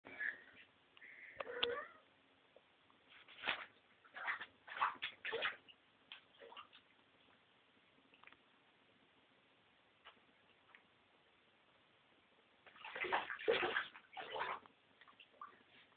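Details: A female Maine Coon cat taking a bubble bath in a bathtub gives short, strained meows between splashes of water and a woman's voice.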